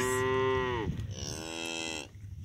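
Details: Young cows that came running up to the farmer, calling up close: a loud, clear moo held steady then sliding downward, followed by a second long wavering moo, with faint background noise.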